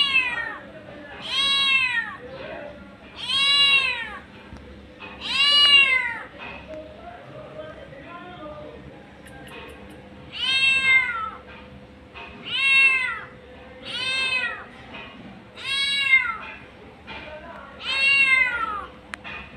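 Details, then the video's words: Mother cat, a street cat, calling for her kittens: repeated arched meows, a cluster of three, a quieter pause, then six more in quick succession, with a faint steady background hum. "Mother Cat Calling For Her Kittens"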